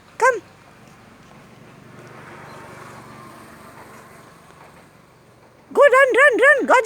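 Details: Boxer dog meeting a stranger: one sharp high yelp at the start, then a quiet stretch with faint murmuring, ending in a rapid run of four or five high, arching yelps about a second long.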